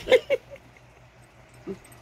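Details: A female Basenji, a "barkless dog", gives two quick, yodel-like yelps, then a softer, lower moaning note out of frustration or excitement while being teased over a yellow toy.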